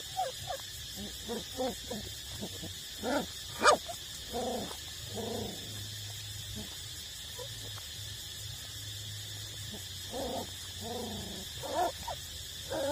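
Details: Eight-week-old street-dog puppies still nursing from their mother; repeated short whimpering squeaks and soft yelps in irregular bursts over steady background hum and hiss.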